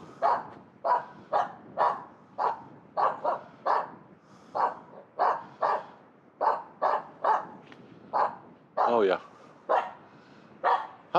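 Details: Finnish Spitz female barking on a New Year's Eve morning in a local pine forest after finding a squirrel high in a tree; rapid sharp barks repeated about twice per second, steady and insistent, one rougher strained bark near the end.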